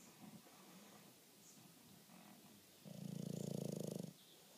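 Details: Bruce, a Bulldog dozing on a lazy Saturday afternoon, breathes softly and noisily, then lets out one loud, buzzing, rattling snore lasting about a second.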